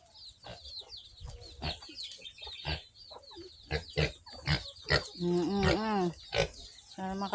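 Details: Farm-raised piglets of a new sow: short harmonic squeals, wavering and held for about a second near the end, follow a busy stretch of quick, high downward chick peeps and clucking, with human speech in the background.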